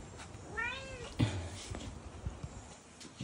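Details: A tabby cat gives one soft meow that rises and then falls, lasting about half a second, over a hissy indoor background with a few dull knocks.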